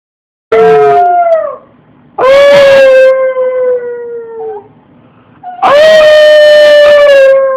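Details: Pet dog howling, recorded on a phone: three long, drawn-out tonal howls with rich harmonics, each holding a steady pitch then sliding gently downward, separated by short quiet gaps.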